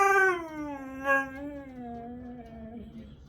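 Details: Sunday-morning scream from a Siberian Husky, quieter and tonal, opening with a strong note that sags lower, wavers with a short upward catch near the middle, then trails off in a descending whine over about three seconds.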